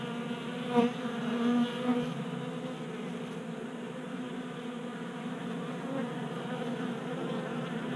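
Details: Honey bees feeding from a 3D printed feeder on a garage workbench in Colorado in January, kept active by late heat. Three short, louder buzzing bursts come early as bees fly close, then a steady, even drone continues.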